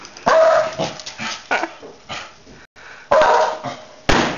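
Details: A dog barks in harsh, loud bursts: a few barks close together, a pause, then more barks, with the last one cut short.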